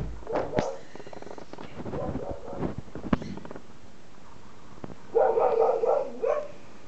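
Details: Female Siberian Husky in her yard, reacting to a trash can she dislikes. Her voice comes as a quick run of rough, repeated woo-woo barks, several bursts packed into about a second and a half. Quieter rustling and soft sounds come before them.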